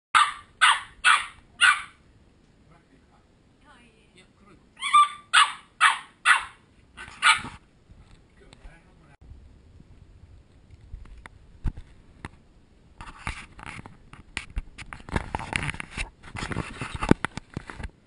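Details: Welsh Corgi puppies, ten of them, playing and barking, filmed on a GoPro HD HERO2: two bursts of sharp, evenly spaced high barks, four then five in quick succession, followed by scuffling, clattering play noises and rustling.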